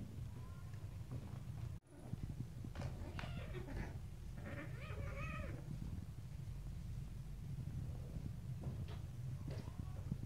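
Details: Several little stray kittens and cats play, bite and pounce on each other; short harmonic meowing cries cluster in the middle stretch, with scuffling taps and a steady low hum beneath throughout.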